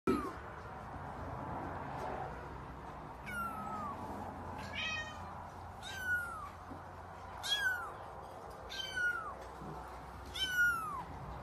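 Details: F5 Savannah kitten, five weeks old, giving a series of high, thin meows that start up high and slide downward, about six calls spaced one to two seconds apart after a quiet opening, over a low indoor hum.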